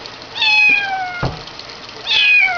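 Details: Kitten meowing while being bathed indoors: two drawn-out, high, slightly falling meows about 1.7 seconds apart, with a short thump between them.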